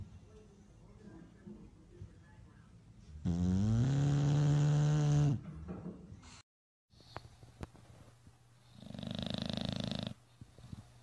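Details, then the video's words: Bulldog asleep at My Second Home, Dubai, October 2015, snoring competition: one loud rasping snore of about two seconds with a low buzzy drone, then a softer breathy snore later amid quiet background noise and a brief clicking sound. "Bull Dogs Snoring competition"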